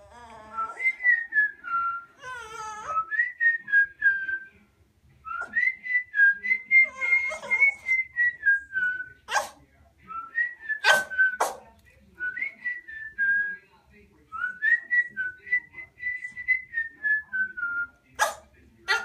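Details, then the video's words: Pet dog Gizmo howling along to the owner's whistle: a bright, pure whistled melody dominates, joined early and midway by wobbling, layered canine whines, with a few sharp clicks or knocks. "Cute Dog Gizmo singing"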